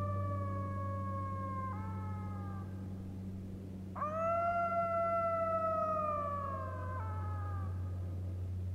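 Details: A golden jackal on a very quiet evening, 14 October 2015, at Hanila, Läänemaa, Estonia, gives drawn-out, wavering, slightly falling howls, the second leaping sharply up and louder, over a steady low hum from a high airplane.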